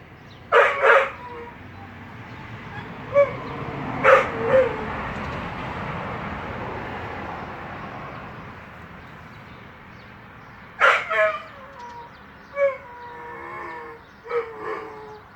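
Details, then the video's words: A dog crying in short, high, tonal whines: a pair of strained bursts, a single cry near four seconds, then after a quiet pause a cluster of shorter whimpers with thin wavering tails, over a faint steady background hiss. "Dog crying"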